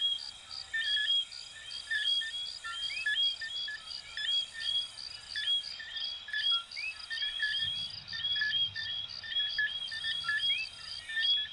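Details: A chorus of coquí frogs, little frogs from Venezuela and Puerto Rico. Bright whistled notes and rising two-part chirps overlap continuously, and rhythmic high-pitched pulsing sounds like crickets.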